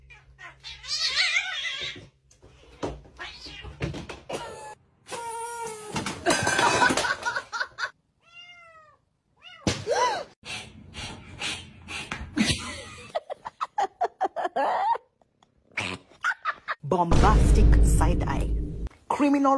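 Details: Cats in a funny compilation, with several short, wavering harmonic meows among music, laughter and spoken remarks. There are abrupt cuts between scenes and some knocking noises.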